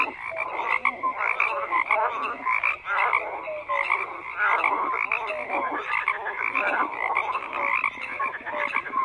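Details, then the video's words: Frogs calling en masse, a constant wall of croaking with rattling pulses and scattered short whistle-like notes, the intensity swelling and easing in waves. "FROGS CROAKING"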